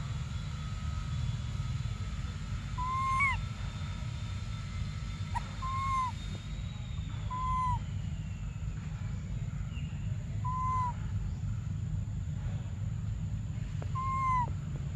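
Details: Desperate baby monkey Briar cries for milk, giving about six short, downward-curving whistled wails spaced roughly two seconds apart, with a faint steady tone and a low hum behind.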